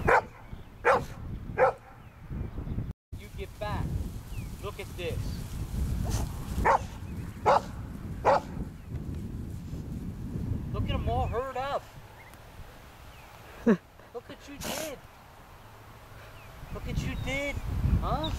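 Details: Old English Sheepdog herding sheep merely by barking at them; short sharp barks spaced irregularly, roughly one every second or two, with a few wavering yelps, low rumbling background noise and people talking.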